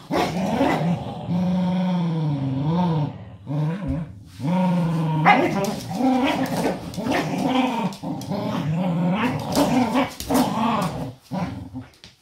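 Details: Two pet dogs, Doby and Blue, play an indoor game, competing to free a favourite toy wrapped in a small old blanket. They give a long, low, wavering growl that rises and falls almost without a break, with brief human speech mixed in.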